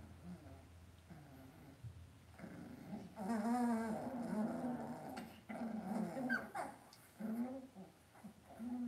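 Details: Cavalier King Charles Spaniel puppies in an indoor home puppy pen, raised by a breeder: wavering, moaning whimpers and low grumbling growls that rise and fall, loudest from the middle of the recording onward, with a faint room hum behind.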